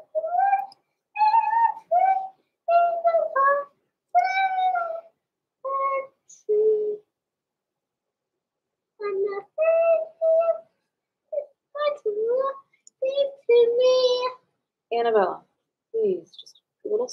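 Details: Blenheim Cavalier King Charles Spaniel puppies, born November 14, 2022, from a small litter in an indoor puppy pen. They give short tonal whines and yelps in bursts, some rising and some falling, separated by brief quiet gaps.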